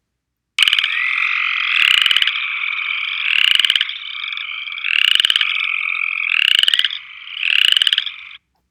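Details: An upland chorus frog calling from the water while grasping a plant stem gives rising, raspy pulsed trills, like a finger run along a comb, about every second and a half.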